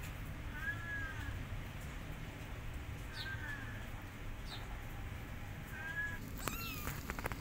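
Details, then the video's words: A kitten meows loudly, left alone after jumping out of a hut: three drawn-out, arching meows spaced about two and a half seconds apart, with short high bird chirps and a steady low rumble of background noise. "Kitten Meowing Loudly And Left Alone When Jumped Out Of Hut"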